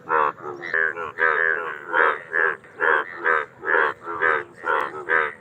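Indian bullfrogs calling in loud, nasal, bleating croaks, repeated roughly twice a second.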